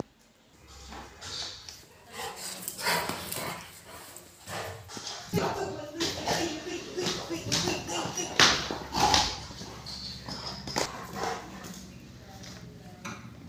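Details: Rottweiler giving a run of irregular, broadband bark-like bursts, clustered around the middle of the recording, with human voices talking alongside throughout.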